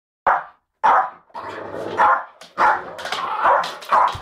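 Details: Pet Jack Russell terrier fighting a Bull Mastiff at home; sharp repeated barks and yips in quick bursts, with rough growling between them, several loud onsets within about four seconds.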